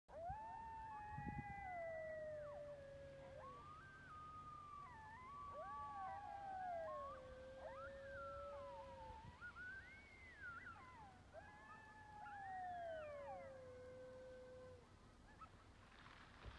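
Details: Several coyotes howl together in the hills at Yellowstone's North Entrance near Gardiner, Montana, on 27 January 2019, in winter: long sliding wails overlapping with wavering yips and quavers.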